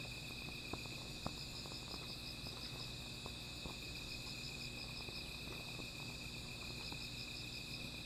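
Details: Nighttime insect chorus next to a small fire: an unwavering high trill plus a beaded, rapidly pulsed trill overhead, with sharp pops and snaps from the burning fire.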